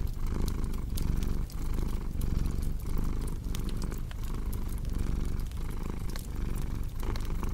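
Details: Contented cat purring near a crackling fireplace: a strong, deep rumble rising and falling with its breathing at short, regular intervals, accompanied by frequent light crackles and snaps of burning wood.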